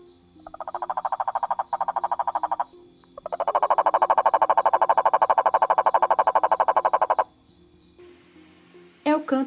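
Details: A male cane toad, a nocturnal, ground-dwelling species, calls mainly to attract females and mark territory, giving two long, low trills of rapid, even pulses like a purring engine over a faint steady hiss, a brief voice at the end.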